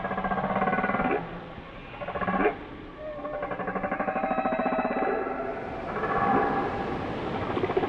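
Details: Whale song: pulsed, buzzy moans with many stacked harmonics, a sharp rising sweep near two seconds and a low steady tone later, over constant underwater hiss.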